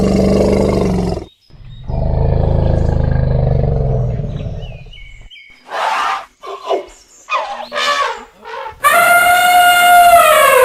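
An elephant gives deep, growling rumbles and then a loud, brassy trumpet with a wavering pitch.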